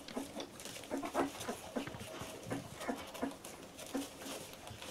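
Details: Litter of 14-day-old Labrador Retriever puppies: short, soft whimpering squeaks repeated in quick irregular bursts, with snuffling and rustling in between.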